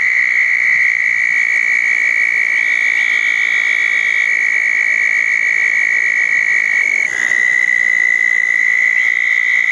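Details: Wet-night chorus of southern toads gathered at two small ponds after a June 10, 2014 thunderstorm: an unbroken high, even trill fills the whole stretch, with a short shift in pitch near the end and thin higher tones overhead.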